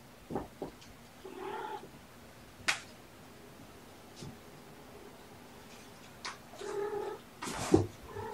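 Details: Surrendered kittens Button, Puck and Sequins, born November 22, sleepy and being petted on 13 February 2018; two drawn-out harmonic meows several seconds apart, between scattered clicks, taps and rustles.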